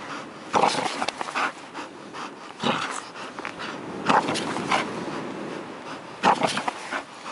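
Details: A Bull Terrier in Karystos, Greece pants and snuffles in rough, breathy bursts, a few seconds apart.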